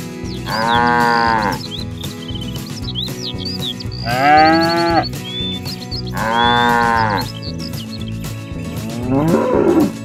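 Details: Cattle being herded toward the barn, calling their friends home: three loud harmonic moos about three seconds apart, then a fainter fourth, with thin high whistled squiggles between them over a low steady drone.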